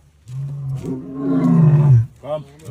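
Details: A white lion gives a deep, rumbling roar that swells and then slides downward before breaking off.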